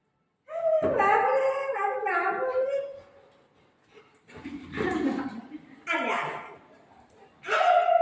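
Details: Pet golden retriever playing with its mom indoors: a drawn-out, wavering howl-like whine that slides downward, then a pause and several shorter rising and falling yelping whines; a person's voice is mixed in.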